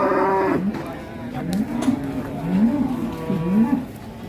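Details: Raging cattle from a 2022 Indonesian compilation of angry cows: a series of low, rising moos, each sliding upward and repeated about once a second, with faint voices behind.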